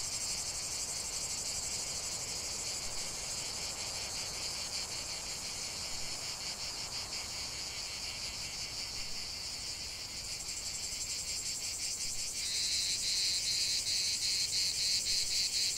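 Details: Chorus of cicadas outdoors, a continuous shrill buzz that holds steady, then shifts near the end into a louder, faster pulsing rasp as another singer joins in.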